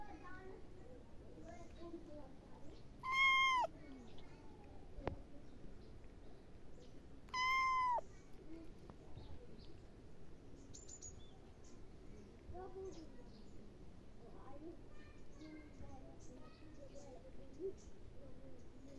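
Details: Domestic cat giving two loud, drawn-out meows about four seconds apart, each bending downward at the end, over low household background noise with faint voices.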